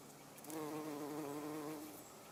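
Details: Low droning hum of a garden bumblebee at everlasting sweet pea blossoms, a continuous harmonic buzz of just over a second with a slight wavering pitch, then fading away; otherwise quiet.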